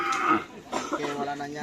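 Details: Cattle at a karapan sapi bull race training session at the Asemanis field in Pamekasan, with the Singo Barong (Can Macanan) team present; a short, low, steady harmonic moo in the last half second, with people talking close by.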